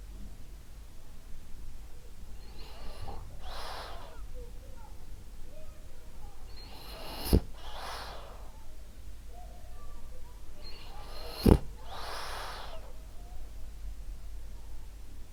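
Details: French Bulldog Ariva, female, snoring gently while asleep: soft hissing inhale-exhale cycles about every four seconds, with two brief sharp snorts.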